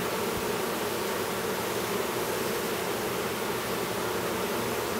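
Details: Honey bees at an apiary near Duluth, Minnesota, while a new drone chews his way out of his brood cell; a steady, dense hive hum with a low droning tone and a faint hiss, no breaks.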